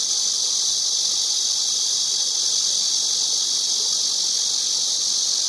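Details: Unbroken, loud, hissing cicada buzz, high and sizzling, sustained at an even level from start to finish with no pauses and little else audible beneath it.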